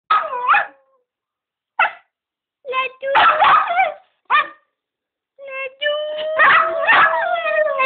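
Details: Jack Russell Terrier crossed with Border Collie howling: short yowling bursts with wavering, bending pitch and quiet gaps between, ending in a longer sustained howl that rises and falls.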